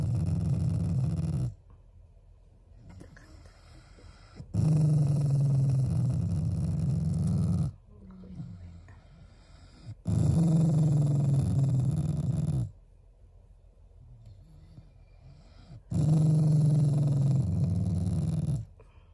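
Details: Shiba Inu, a beloved family pet, growling as a show of affection toward its owners rather than anger; four sustained low rumbling growls of about three seconds each, separated by short quiet pauses.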